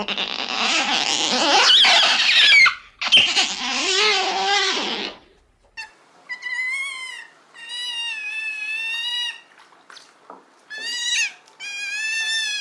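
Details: Otter sounds opening with a noisy, raspy scream, then clear harmonic whistling squeals in separate bursts, some level, some slightly wavering.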